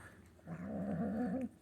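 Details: Female Manx kitten making a growling noise at mealtime out of food aggression, one sustained, wobbling, low harmonic growl of about one second that stops abruptly.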